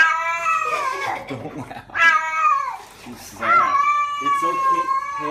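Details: Domestic cat being bathed, yowling in protest: three long, harmonic-rich wails that bend up then slide down, the last one drawn out, with a person speaking soothingly nearby and indoor room echo.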